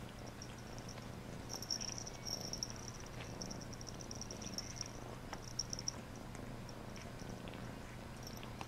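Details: Domestic cat purring steadily during a bath, a low continuous rumble pulsing evenly throughout, with soft scattered clicks and faint high ticking sounds above it in a small indoor space.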